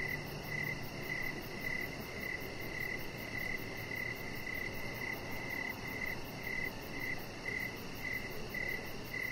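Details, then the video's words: Crickets sing in the evening around a deck where chihuahua Rocket rests; a clear high chirp recurs in a steady rhythm near twice per second, with a brief low hum early on and background hiss. "Cricket Sounds"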